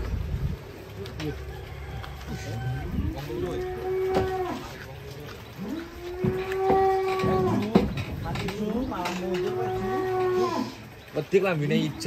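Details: Giant cattle being unloaded from a truck; three long, drawn-out tonal moos of about one and a half seconds each, swelling then holding steady, with voices and background music around them.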